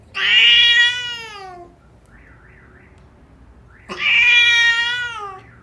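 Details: Persian cat in a birthing box during delivery of kittens, indoors: two long, loud, drawn-out meows with rich harmonics, each about one and a half seconds, separated by a quiet pause of roughly two seconds.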